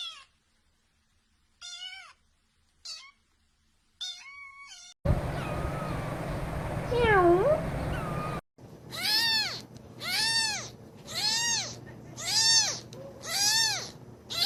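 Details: Baby cats meowing in spliced recordings: a few short thin meows, then a noisier stretch with one wavering, sliding meow, then a run of rapid arched meows repeated about once a second.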